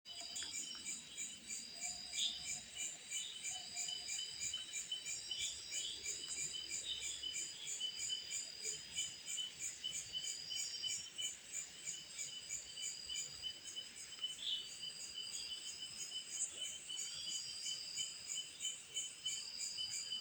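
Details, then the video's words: Cicada calling at night: a steady high, shrill chorus of several layered buzzing tones pulsing about three times a second, with a few brief chirps from other callers and a faint low murmur beneath. "Sound of Cicada in the night"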